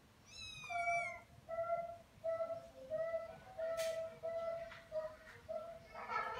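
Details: Kitten giving a run of about eight short, tonal, evenly pitched meows, each roughly half a second long, repeated at a quick steady pace; faint clicks and rustling indoors, with a brighter noisy burst at the end.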